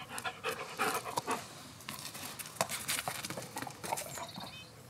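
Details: A three-year-old Belgian Malinois, playing with a ball, pants in quick, breathy bursts, with sharp clicks and knocks around it.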